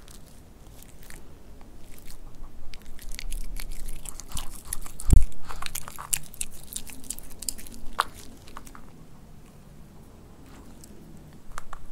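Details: Crunching, biting and chewing noises in a small room, with no animal calls or voices. A single sharp thump stands out partway through.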